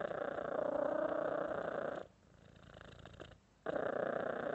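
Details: Domestic cat giving a continuous, even purr for two seconds, falling silent briefly, then resuming the same buzzing rumble at full strength.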